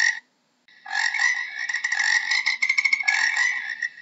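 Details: Frog giving a brief pulsed croak, a short pause, then a long rasping trill of rapid harmonic pulses lasting over three seconds, loud and steady throughout.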